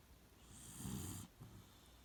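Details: Shiloh the Beagle dozing in its regular sleeping place gives one long, low snore lasting about three quarters of a second, a raspy rumble with airy hiss, followed by a softer breath.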